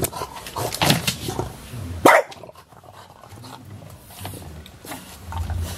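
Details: English Bulldogs WanWan, aged two years 202 days, and Fe, aged two years 118 days, recorded on 10 January 2017. Two sharp, loud barks come about a second apart near the start. Quieter snuffling and low rumbling noises follow.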